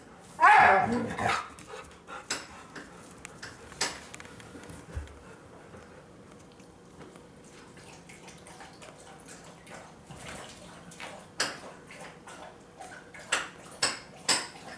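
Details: Siberian huskies, a chocolate-and-white male born in Saitama and a red-and-white female born in Shiga, begging impatiently for their food: one short, harmonic, wavering whine-howl near the start, followed by scattered clicks and knocks indoors.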